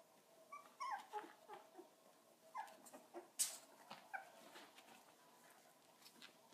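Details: Three-week-old puppies, recorded on March 6, 2013, give faint, high, squeaky whimpers. A few brief peeps cluster early, then soft scattered squeaks follow, with one sharp click in an otherwise quiet indoor space.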